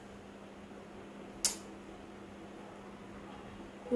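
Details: A steady low electrical hum in a small room, broken by a single sharp click and a brief knock at the very end, with no animal voice.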